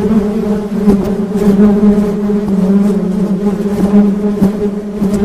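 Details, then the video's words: Steady low harmonic drone of honey bees buzzing, punctuated by brief sharp taps or clicks every second or so. "Suara Tawon Madu"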